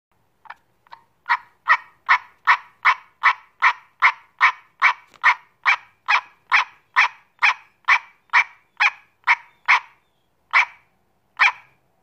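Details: American green tree frog (Dryophytes cinereus), a single small frog, giving a steady series of about twenty-five short, nasal, honking quonks repeated roughly every 0.4 seconds, each a brief harsh burst, with no other sounds in the background.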